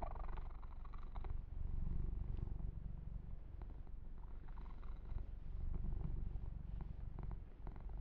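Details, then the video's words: Pet kitten purring under massage and fur grooming, low vibrating rumble that swells and fades in waves, with light rubbing and fur-stroking noises over it. "Kitten Massage - Perfect Sleep Helper Ear to Ear Purring"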